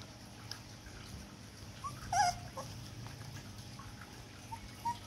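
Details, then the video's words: Poodle puppy four weeks old, at weaning age, letting out a few thin high squeaky whimpers, one wavering cry in the middle, over a low steady background hum. "poodle umur 4 minggu"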